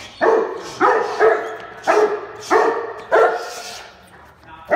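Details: Cane Corso at a breeder's kennel doing personal protection work, giving loud, deep, harmonic barks in short bursts, about six in under five seconds at uneven spacing, with a final bark starting at the very end.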